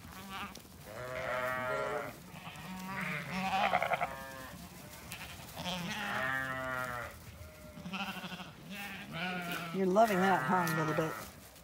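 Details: Zwartbles flock in County Kilkenny, Ireland, just shorn and let out to the orchard; a chorus of rich, quavering bleats from several sheep rises and falls, mixed with light music and a woman's voice.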